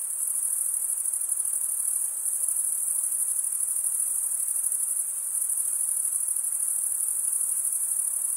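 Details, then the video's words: Crickets chirping at night in a summer forest, a dense, continuous high-pitched shimmering trill with a fine rapid pulse and no pauses, steady throughout, over a faint soft hiss lower down. "Pure cricket music for 20 min"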